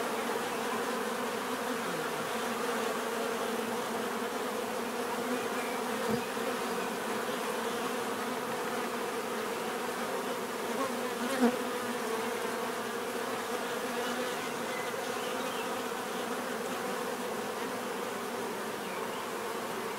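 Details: Steady natural bee buzzing, a broad humming drone of many insects with a couple of faint brief clicks standing out over the even, continuous sound.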